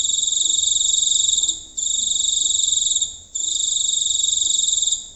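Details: Close-range night recording of a giant cricket in rural countryside, singing long shrill pulsed trills of about a second and a half each, separated by brief silent gaps.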